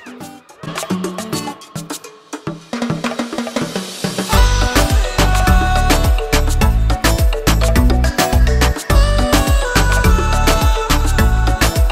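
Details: Rhythmic music with heavy percussion and bass, quiet at first and then swelling to full volume after a few seconds; no animal voices stand out.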